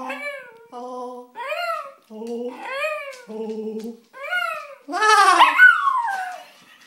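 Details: Pet dog howls in response to a person making a stupid laughing noise; rising-and-falling arched howls alternate with lower, choppy laugh-like bursts indoors, ending in a louder, strained howl.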